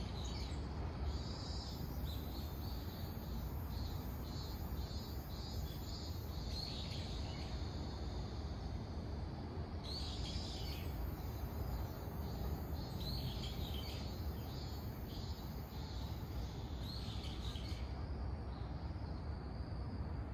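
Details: A robust cicada (Hyalessa maculaticollis) still singing in autumn on October 10 gives high, pulsing bursts over a steady low rumble.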